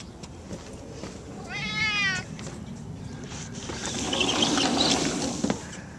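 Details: Pet cat named Gato, roaming the yard and house, gives a single short, wavering meow early on, followed by a rising wash of broadband rushing noise and a sharp click.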